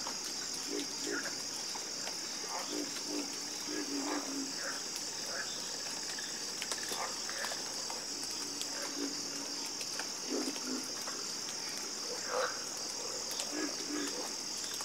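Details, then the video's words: Harmonious frog croaking: scattered low, rasping croaks and a few higher pulsed calls rise now and then from a continuous high insect whine. "Calming Sound Of Harmonious Frog Croaking"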